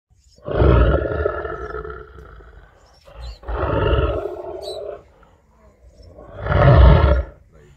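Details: A lion at Masai Mara National Reserve, Kenya, roars in three deep, rumbling bursts, each lasting over a second with short pauses between.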